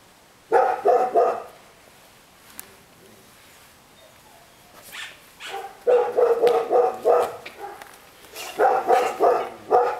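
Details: Female Rottweiler barking in bursts of three to five rapid, gruff barks, with pauses between groups; several bark series across the recording, no other clear sounds.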